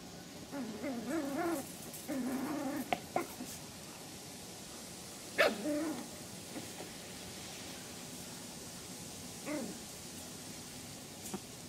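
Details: Three-month-old Pomeranian puppies from the Elenhouse kennel in Kyiv, Ukraine: bursts of high, harmonic yelping and short barks fill the first three seconds, then single sharp yips come near five and a half and nine and a half seconds, over a quiet indoor hush.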